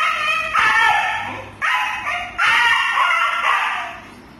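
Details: Pet dog whining to have a door opened: three long, wavering, tonal howl-like cries with rich harmonics, the second starting after a brief pause and the third the loudest, fading out at the end; a person speaks nearby.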